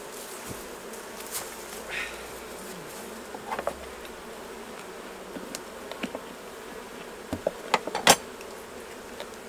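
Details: Honey bees at the hives during a honey harvest, as the honey is taken off. A steady, low droning hum of many bees runs throughout, broken by sharp clicks and clatters of handled equipment, loudest near the end.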